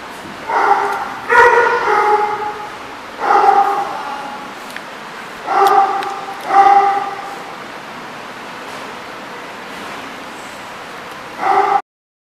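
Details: Dog barking at a place called The Barking Lot, recorded 10/6/14: about seven harmonic barks in irregular bursts, some in quick pairs, separated by pauses of up to several seconds, over a steady background hiss.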